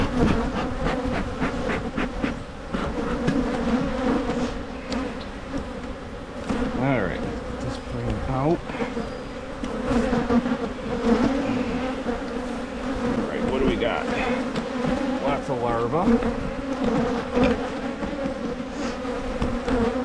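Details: Honey bees at beekeeper's hives in Michigan during hive splitting to prevent swarming: a steady, dense buzzing hum with a low droning tone and a higher overtone, broken by scattered knocks and brief sliding sounds.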